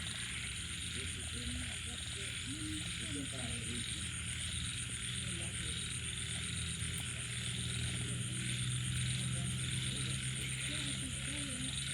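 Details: After rain at night, frogs, small frogs and banded bullfrogs give scattered short, low, bubbling croaks in quick irregular series beneath a constant high insect drone and a low steady hum, with a brief click now and then.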